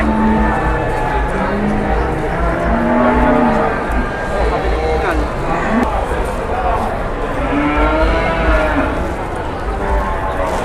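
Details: Jumbo cattle waiting to be sold at an Indonesian livestock market. Scattered low, wavering moos from more than one animal rise through a dense background of crowd chatter and low rumbling noise.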